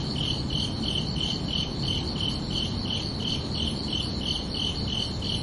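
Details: Crickets chirping at night in summer: regular bright pulses on two high tones, about two to three a second, against a steady low-pitched ambient hum.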